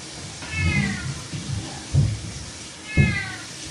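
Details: Playful cat giving two drawn-out, slightly falling meows, one early and one near the end, with dull low thumps and knocks in between against a quiet background.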